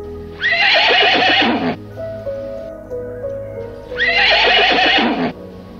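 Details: Horse neighing twice, each whinny about a second and a half of bright, shaky, descending tones, over steady background music.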